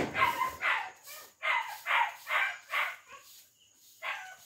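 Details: Female German Shepherd puppy, two months old, giving a run of short high yelping barks, about seven in quick succession roughly every half second, then a pause and one more bark.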